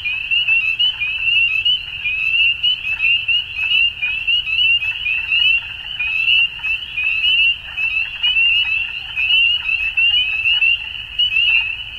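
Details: Ontario frogs calling in spring at dusk, a thick wall of high, rapidly pulsing peeps that never stops, loudness wavering in short bursts, with softer lower notes flickering underneath.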